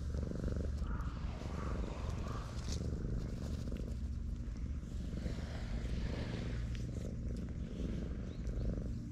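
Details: Sleeping stray cat being petted on a breakwater beside the sea, its purr a constant low buzzing drone throughout, with wave noise in the background.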